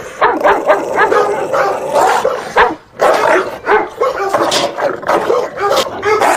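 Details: An angry dog barks loudly and rapidly in harsh volleys, with one short quiet gap before more fast, forceful barks.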